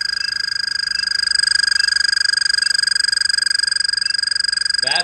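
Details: An American toad gives a long, steady, high musical trill holding one pitch throughout; a call heard in springtime in Connecticut, sometimes kept up for hours while the toad sits.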